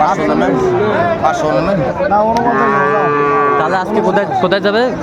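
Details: Sahiwal bull calf at a cattle market in Sylhet, Bangladesh, 29 June 2024: a long, rich bellowing moo swelling in the middle, surrounded by overlapping human chatter and market bustle.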